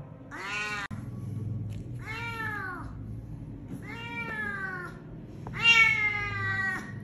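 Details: Injured cat hit by a vehicle and left at the roadside, with a broken jaw and maggot-infested wounds, rescued from a drain and taken to Klinik Amore 5 BSD. Four drawn-out, wailing meows, each falling at the end, over a low steady hum.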